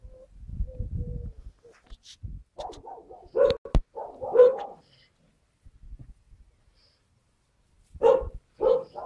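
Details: Skye Terrier puppies filmed on 5 June 2016, giving a few short barks around the middle and again near the end, with a low rumble and some clatter in between and quiet gaps.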